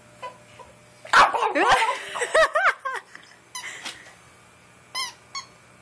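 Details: Pekingese dog giving a burst of rising-falling yips and squeaky whines, then short barks in quick irregular clusters, with a pause before two final high yips; a person's voice is heard briefly.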